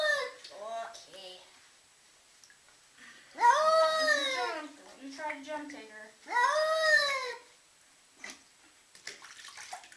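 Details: A cat freaking out indoors lets out two loud, long arching yowls a few seconds apart, each a full harmonic wail, with softer whines between and a brief cry at the start.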